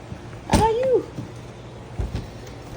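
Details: Six-week-old Labrador Retriever puppies: one drawn-out tonal whine that holds briefly, then slides downward and fades after about half a second, opening with a sharp knock. Indoors, with faint background noise and soft voices nearby.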